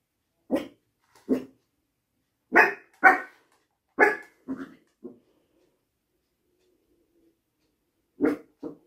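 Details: Funny little dog living in an apartment barks in short sharp bursts, singly and in quick pairs, about nine barks with irregular pauses and a longer silence before a final double bark.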